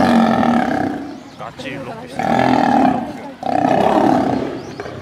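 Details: Lions fighting as females attack a male: three rough, snarling roar bouts with a short scuffling break between the first and second, strong and close.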